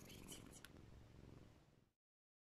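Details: Pet cat held in arms and petted, purring as it kisses its owner; a loud, dense low rumble with brief breathy sounds early on, cutting off into silence after two seconds.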